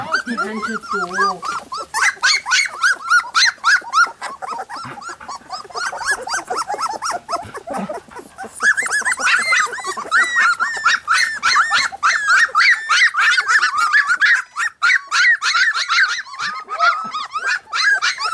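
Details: Three-week-old Golden Retriever puppies give rapid, overlapping high squeaks and whimpers in a busy chorus.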